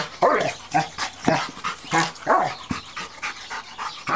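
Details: Stud German Rottweiler aged three, 120 pounds, riled up with his brick toy; a few loud, rasping barks with bending pitch, separated by short gaps.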